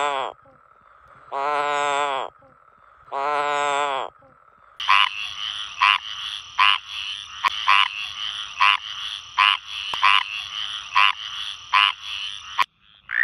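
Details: Frog calls from a collection of several kinds of frog: three short, harsh, harmonic croaks about two seconds apart, then a rapid series of brief, bright pulsed notes repeated roughly every half second over a steady high background hum.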